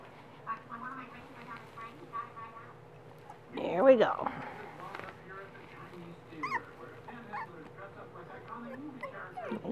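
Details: Three four-week-old male longhaired dachshund puppies being fed indoors; high, thin whimpers and squeaky yips come in short repeated bursts over a steady low hum, with a loud clatter near the middle and a woman talking softly to them.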